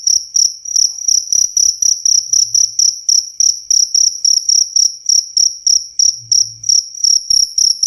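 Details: Rat-repelling cricket sound: bright, piercing chirps in steady rhythm, roughly three to four pulses a second, each a tight metallic trill, with a few soft low bumps in the background.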